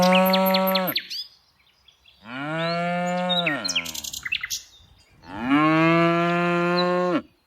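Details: Tame cows herded in the afternoon, mooing three times in long, level, harmonic-rich calls of about one to two seconds each, separated by short pauses, with faint bird chirps between calls.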